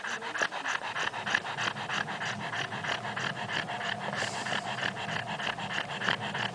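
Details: A dog snoring while awake, a rapid rhythmic rasping breath repeated about three times a second, with brief high squeaky notes and steady background noise.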